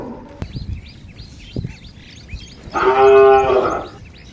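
A cow gives one strained, nasal moo lasting just over a second, while small birds chirp steadily in the background.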